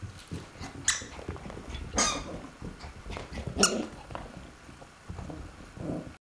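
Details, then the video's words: A Shweenie dog playing by herself indoors: short squeaky yelps and soft growly grunts scattered across the recording, with sharp clatters and bumps of toys or movement between them. "Shweenie at Play"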